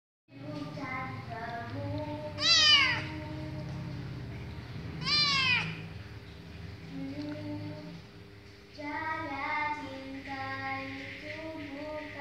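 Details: Kitten meowing, described as singing: two loud, bright meows that sweep downward, around three seconds apart, set among softer, sustained tonal sounds with steady harmonics, possibly music.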